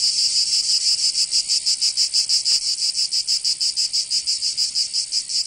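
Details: In Provence, southern France, cicadas sing through the summer heat; a high rasping drone beats in quick, regular pulses, roughly three each second, strong and unbroken.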